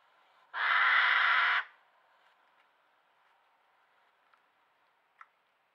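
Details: Hedgehog in a garden screaming as a curious badger sniffs and inspects it: one loud, harsh, noisy screech lasting about a second, followed by near silence with a few faint clicks.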